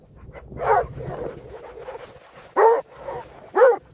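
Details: Puppies in an AI-generated scene of play with baby rabbits on green grass give short, high yappy barks with brief whimpering notes in between.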